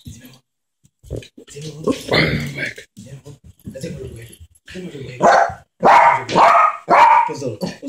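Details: Small Yorkshire terrier Ketty playing with a baby at home gives a run of four sharp, high yapping barks near the end, after stretches of baby babble and adult chatter.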